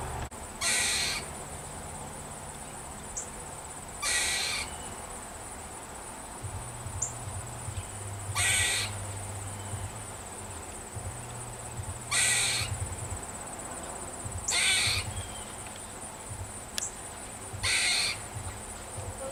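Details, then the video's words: A squirrel, upset by something in a backyard and calling for a long time, gives harsh, raspy alarm bursts, each under a second, repeated every three to four seconds. "Squirrel Making Warning Sound I Squirrel Alarm Call I Squirrel Videos"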